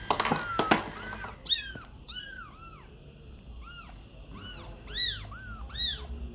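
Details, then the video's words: Kittens meowing indoors: a run of short, high, arching mews, each rising then falling, about a dozen calls spaced roughly every half second to second, after a couple of sharp knocks at the start. "cute and funny kittens sound | cat voice"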